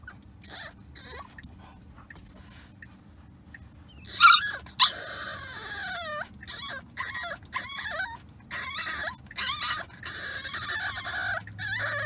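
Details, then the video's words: Remy, a French Bulldog puppy, whimpers unhappily on a car ride: quiet start, then a sharp yelp and a run of high, wavering whines and squeaky cries repeated in short bursts, with low engine hum beneath. "French Bulldog Puppy Whines During Car Ride"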